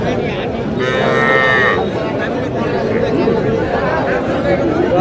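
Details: Young cattle, bulls and heifer calves, at a busy livestock market where a Dhaka farmer shops on 21 February: a short, bright bellow near the start, almost buried in dense crowd noise and men haggling over prices.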